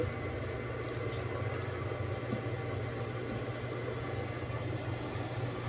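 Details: A steady low rumble of a passing vehicle or train with faint background hum throughout, and no animal voice anywhere.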